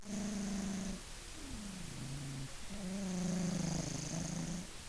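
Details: Maine Coon cat named Funya snoring while asleep: low, steady buzzing tones held about a second, with a softer airy hiss between breaths and a faint high whistle at times.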